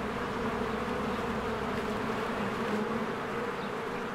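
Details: Honeybees in spring, swarms flying in and out of their hive while flowers bloom: a dense, steady buzzing drone with a strong low hum band, continuous and even in loudness throughout.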